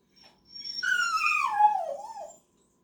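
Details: Male dog protesting being left out of a mailbox outing: a faint note, then a drawn-out whine that starts high and glides downward with a slight waver near the end.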